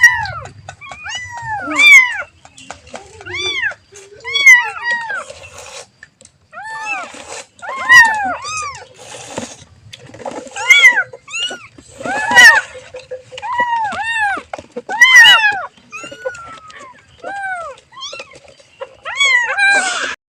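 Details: A kitten calls its mother with repeated short, high, arched meows in clusters, sometimes doubled, with brief gaps between bursts.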